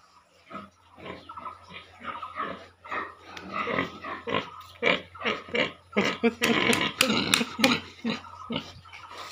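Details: Pigs kept in a piggery, a busy run of rapid grunts and harsh squeals that grow denser and louder toward the end, several animals calling over one another.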